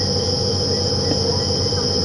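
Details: Two distinct insects call together after dark in Djuma Game Reserve, Sabi Sand, Kruger, South Africa, on 15 October 2015. Cicadas give a steady high-pitched shrill drone layered with a second insect's whine, over a safari vehicle's engine rumble.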